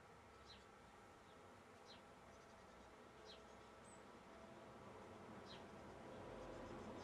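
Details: Honey bees foraging on a flower for nectar to carry back to the hive, filmed close-up; an even, continuous buzzing drone that swells slightly toward the end, with a few faint high ticks behind it.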